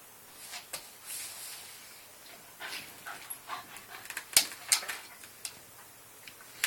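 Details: Pet Yorkie playing with a house rabbit, recorded on an Android phone; faint high yips and a few crisp sharp yaps, irregular and spaced out, over a quiet room with soft handling noises.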